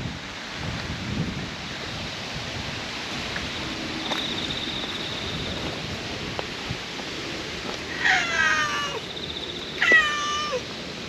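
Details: Brown-and-white stray cat that lived by a pond and has moved into a Western-style park garden, giving two short harmonic meows late on, near 8 and 10 seconds, over steady outdoor background noise.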